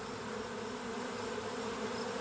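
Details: Freshly swarmed honey bees from a kept hive fly around searching for their queen, ignoring a person walking among them; a dense, steady, low droning buzz of many wings fills the air without pause.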